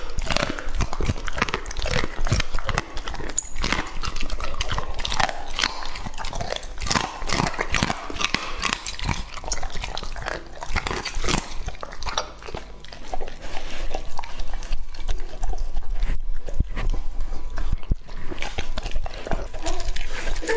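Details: A two-and-a-half-year-old male English Labrador named Lucky chomps raw meat up close. Loud, rapid smacking and crunching bites continue throughout, dipping briefly around twelve seconds before growing stronger again.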